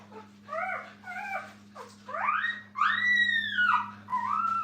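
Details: Brittany puppies beside their mother in a kennel: drawn-out, wavering whines that rise and bend downward, several in a row, growing louder, with a constant low electrical hum underneath.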